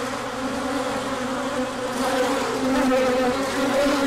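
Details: Honeybees from a hive making a large orientation flight as the sun came out after colder weather, 24 March 2024: a dense, continuous droning hum of many wings, steady low buzzing with wavering overtones throughout.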